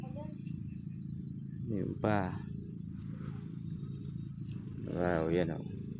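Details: Kept goats bleating twice, each a short wavering, quavering cry, heard over a steady low engine rumble with people talking nearby.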